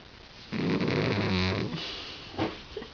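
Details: Hack, a pet cat, snoring loudly in its sleep indoors, with a human-like sound: one long, rough, low rasping breath lasting about a second, followed by a softer, shorter exhale.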